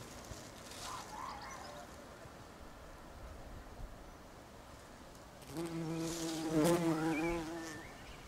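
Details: Bumblebees nesting in a house roof; after several seconds of faint background hiss, a loud droning buzz swells in, a steady low hum with rich stacked overtones that wavers slightly in pitch for about two and a half seconds, then fades.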